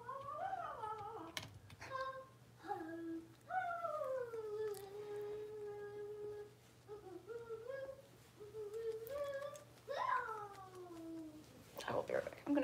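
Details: Six-week-old blenheim Cavalier King Charles Spaniel puppies, a litter of five born at New Year's, in an indoor puppy pen; drawn-out high whines and yelps that slide downward then rise again, several separate cries, over a soft steady hum.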